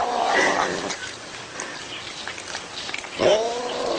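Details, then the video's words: Domestic cat making two strained, nasal yowls, the first rising and bending over within a second, the second swelling upward after a stretch of low background noise and faint clicking. "Possessed Cat Makes Freaky Noises"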